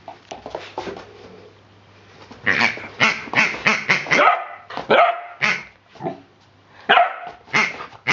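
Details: Playful Rhodesian Ridgeback puppy Hubby, 10 weeks old, with a new rubber pig toy; rapid squeaky yips run together with short barks in quick bursts, then a few separate louder barks.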